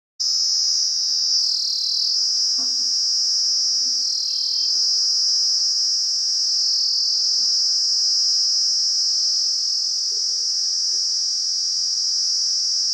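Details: Wild Kaempfer cicada, called nii nii, singing a loud, continuous high-pitched buzzing drone that holds steady for the whole stretch, with brief pitch dips near two and four seconds; a faint low steady tone and soft knocks sit underneath.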